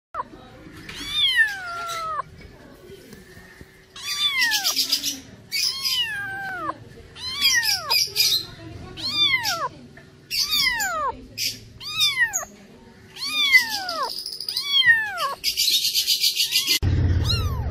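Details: A cat meows over and over, each call a high, thin cry that slides steeply downward, coming roughly once a second, with short hissing noise bursts between some calls and a low steady hum underneath.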